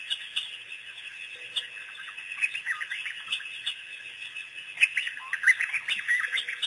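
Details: A pack of African wild dogs, released by researchers on April 5, 2008, on their first visit to Pete's Pond. Dense, high, bird-like chirps and twitters overlap in rapid, uneven bursts throughout, with sharper squeaks near the end.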